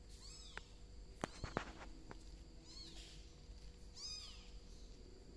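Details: ['Three thin, bending meows, one early and two later, amid a burst of sharp taps and knocks, while golden cat Sam reacts to a crawling bicolor kitten.']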